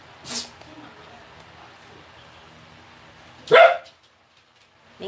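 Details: Eleven-month-old female Pembroke Welsh Corgi wanting to play and play-fighting with a reluctant four-year-old Maltese mix. Two sharp, loud barks about three seconds apart, over a quiet indoor background.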